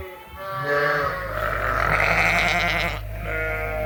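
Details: Mixed groups of Suffolk lambs in a barn at night after escaping through an open gate: overlapping drawn-out bleats, one rising and strained, over a steady low mechanical hum.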